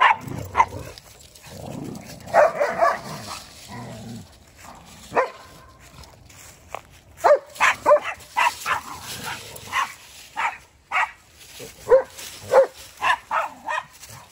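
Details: Odin the German Shepherd and little BELLA gang up on $amson the Boxer in play. Scattered barks and yelps come in irregular bursts, thickening into a rapid volley of short barks in the second half.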